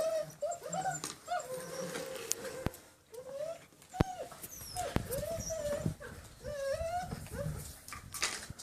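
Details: Six-week-old German Shepherd puppies, line bred on Grim, on a slippery floor for the first time: repeated high, wavering whimpers and whines, some rising then falling, from several puppies, with clicks and scrabbling noises.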